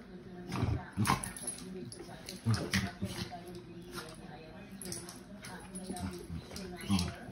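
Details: Several sharp, loud bursts of snapping and snarling as dogs fight, roughly every second or two, over steady human voices in the background.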